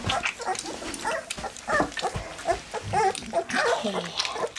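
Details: Black English Labrador Retriever puppies, three weeks old, taking their first goat's milk; scattered short squeaks and grunts from several pups over wet slurping and clatter.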